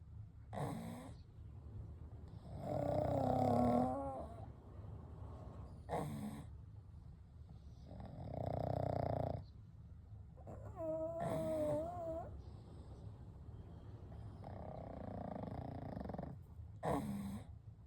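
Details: Sleeping pugs Kou, Gen and Shun, three dogs resting together, give soft snores and breaths: short sniffy inhales between longer rumbling exhales, one breath with a fluttering whistle.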